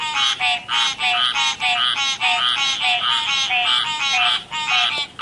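A tree frog gives loud, nasal, quacking calls, repeated in quick bursts.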